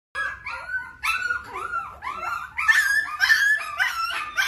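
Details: Several puppies playing together and running around near their owner, giving high, overlapping whining yelps and squeals in quick bursts, about two a second, growing louder and busier toward the end, with no other clear sounds.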